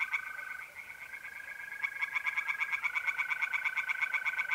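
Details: Tree frogs singing by night in a pond in north-east Italy in mid-April: rapid, regular pulsed croaks, about three per second, over a steady high trill from mole crickets.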